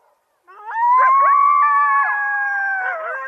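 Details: Coyote howl: a long sustained tone that rises slightly and holds steady for over two seconds, with overlapping yips and wavering voices of other animals layered beneath, ending with a slight downward bend.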